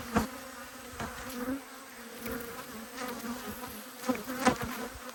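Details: Irritated honey bees buzzing during an inspection of two hives in Australia, 5 March 2022; a continuous low hum layered with brief louder fly-bys, several sharp clicks of hive tools.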